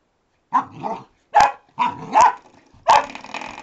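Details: Retriever pup investigating a door stop, giving five short, rough yapping barks in quick, uneven bursts, some with a growly edge, separated by brief pauses.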